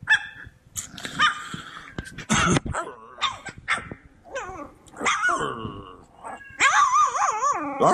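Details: Several Cane Corso puppies playing in a whelping pen, yipping in high, wavering bursts with rising and falling pitch, mixed with rough growls and short barks, overlapping throughout with brief quiet gaps.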